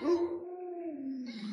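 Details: Pet Alaskan Malamute Luoluo, one of several household dogs raised by grandma, holds a single steady howl that slides gently lower in pitch over about a second and a half, indoors.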